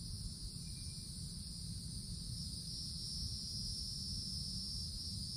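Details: Cicadas in treetops of summer woods sing a steady, piercing hum that barely wavers, accompanied by a persistent low rumble.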